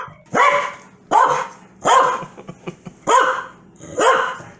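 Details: Foxy, a pet Corgi, barks angrily at her owner's sneezing: five sharp, loud barks, each about a second apart, with a bright, rising-then-falling tone.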